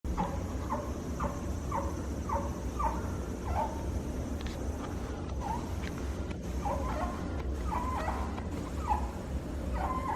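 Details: Fennec fox at Morioka Zoological Park, possibly snoring or talking in its sleep; short soft calls repeated roughly every half second in a steady series, with a low background hum.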